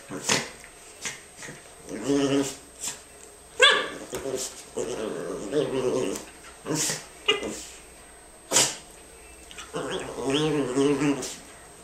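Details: Indoors, a Norfolk girl plays with her best friend Jackson, trading rumbling play growls and brief barks in bursts every second or two, with human speech mixed in.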